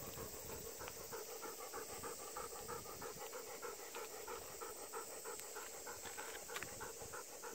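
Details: Golden Retriever panting on a short ten-minute walk near an office during Obon, just before 5 pm under dark clouds with occasional thunder; quick, even breaths about three per second with a steady high hiss behind.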